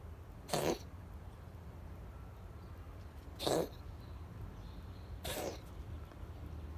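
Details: Sick gray female cat producing odd dog-like calls: three short, harsh, sneeze-like yelps a couple of seconds apart, the last slightly longer and falling, against a low steady background hum.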